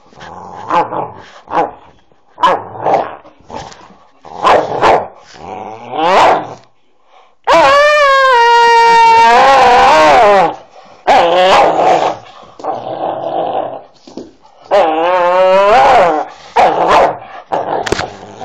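A Staffordshire Bull Terrier talks in short grumbling whines and one long wavering howl-like moan.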